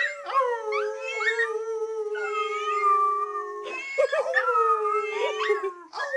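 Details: Indoor teacup Chihuahua set off howling by a meowing cookie jar, her family joining in. Sustained drawn-out tones hold steady while higher wobbling howls and short yips rise and fall over them in a chorus.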